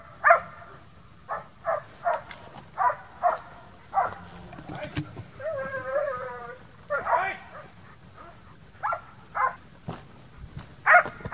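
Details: Young Transylvanian Hounds in midsummer wild boar hunting training give short, harmonic barks and bays in irregular bursts, with a longer wavering, whine-like cry in the middle and sparse outdoor background noise.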